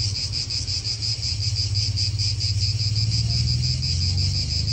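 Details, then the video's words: Cicadas in an Italian park produce a constant shrill, pulsing buzz, while wind and cars nearby add a deep, steady hum underneath. "Cicadas wind real atmosphere in an Italian park"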